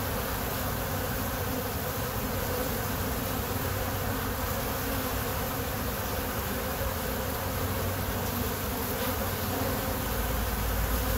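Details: Kept honey bees producing an unbroken, even swarm hum, joined late by a deeper rumble like a passing plane overhead.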